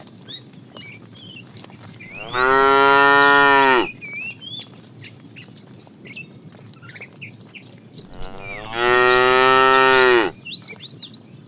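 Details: Two long, loud, even moos about six seconds apart from a fat cow calling the female while a tame herd is driven in the afternoon; birds chirp faintly between the calls.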